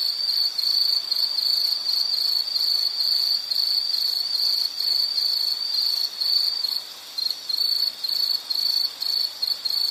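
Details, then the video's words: Insect in a nature recording giving a sustained, piercing high trill for about ten seconds, steady at first, then growing choppier with short gaps near the end. "Sound · Nature Sound of nature sounds scenery L · insect"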